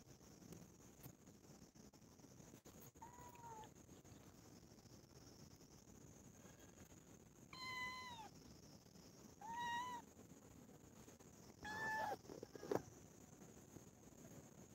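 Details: Four family cats playing and quarrelling with each other. Several drawn-out, clearly voiced meows, some arching and falling, come in spaced bursts over the later half, against a steady high-pitched background hiss.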